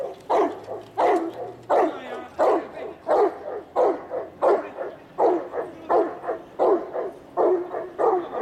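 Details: Greater Swiss Mountain Dog, a working breed from Slovenia, pulling a cart: a steady series of loud, full barks, about one every 0.7 seconds, with a few quicker doubled barks along the way.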